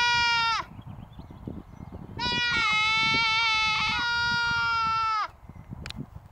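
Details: Goats put out to graze the grass at the Mace Ranch Wildlife Area: a short bleat, then a long, wavering, nasal bleat lasting about three seconds, followed by low outdoor noise.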